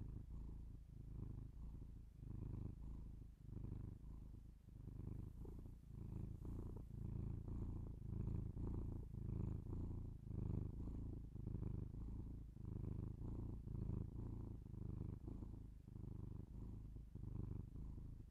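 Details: Domestic cat purring close to binaural microphones for ASMR: low droning rumble in rhythmic surges, close to one per second, steady and uninterrupted, with a faint soft rustle near the five-second mark.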